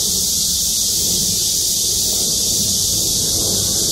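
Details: Cicadas chorusing from trees in the parking lot of Gwangmyeong City Hall: a dense, unbroken high-pitched hiss-like drone holding steady throughout, with faint low rumble beneath.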